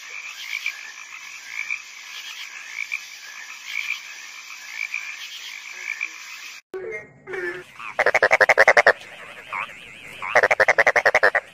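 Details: Frog croaking in rapid pulsed trains for about six seconds, a steady rattling chorus, followed by louder, harsher bursts of rapid pulses near the end.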